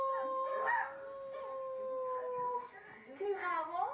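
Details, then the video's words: A pet dog joins in with recorded howling dogs, holding a long steady mid-pitched howl for over two seconds before other wavering, bending howls take over. "Howling at other dogs"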